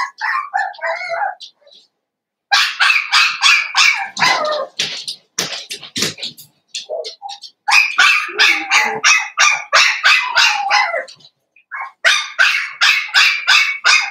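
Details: Cavalier King Charles Spaniel puppies, blenheim-coloured, five littermates in a home pen; bursts of quick, high-pitched yapping barks in rapid strings, separated by short quiet gaps, with a few softer squeaks between bursts.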